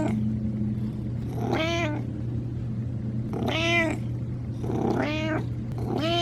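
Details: Older domestic cat giving a simple, friendly hello, confident and fairly joyful, moderate in power and tone, voice showing age and a full chest; four drawn-out harmonic meows, each rising then falling, spaced unevenly over a steady low electrical hum.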